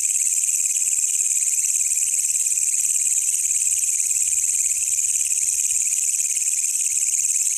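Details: A wild walang kecek katydid, encountered during a night search and recorded to train songbirds, produces a constant piercing metallic buzz that never pauses, with only faint background noise.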